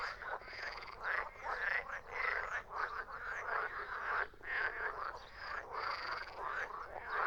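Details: Frog chorus of rapid, grating croaks from many callers at once, the din pausing briefly between loud bursts about every second or so.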